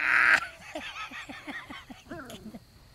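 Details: Four-week-old Great Pyrenees puppies from a litter taken outdoors for the first time in Middle Tennessee; after a loud opening burst, a run of short, high yips repeats about every third of a second, ending in a wavering whine.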